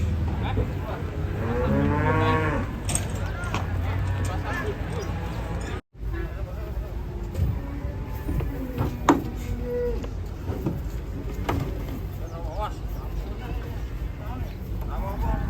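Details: A raging bull or cow lets out a loud wavering bellow at the start, followed by a brief cut and then a stretch of clattering noise with faint low calls.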